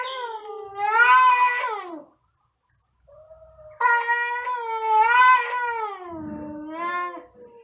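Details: Two cats meowing very loudly: a long, wavering, nasal yowl, a silence, then a quieter note and a second drawn-out yowl, finished by lower meows and rough scuffing.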